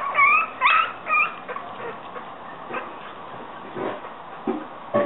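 Yorkshire Terrier puppies give high, thin whimpers that rise and fall, then quieter scattered squeaks.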